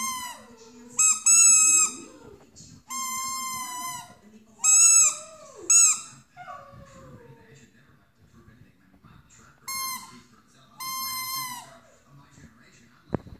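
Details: Dog howling along in repeated bursts of high, squealing tones, several wavering notes that slide downward, separated by quieter gaps with faint low background sound and a sharp click at the end.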